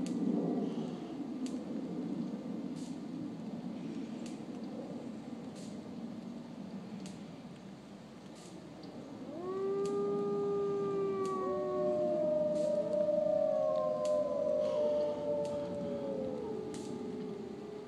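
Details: Several gray wolves at Brookfield Zoo near Chicago join in long, smooth, overlapping howls that rise and fall against a hiss of rain on a rainy day.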